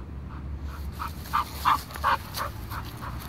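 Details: Danny, a Bull Terrier, play-fighting with a branch: a rhythmic run of short, mid-pitched huffing pulses, about three per second, the middle few loudest, over a steady low rumble.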